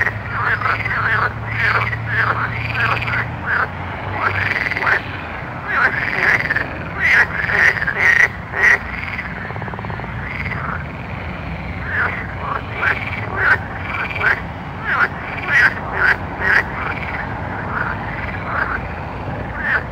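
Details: Nighttime frog chorus: rapid, overlapping arched croaks repeated about twice a second, with sharp clicks scattered throughout and a low hum beneath.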